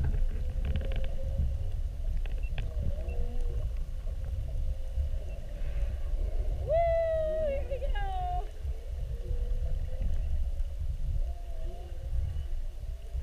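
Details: Whale heard underwater during a mugging, with whales spy-hopping around a whale-watch boat for an hour on 2-21-19 morning watch; a rising then falling tonal whoop with bright harmonics near seven seconds, over steady low boat rumble.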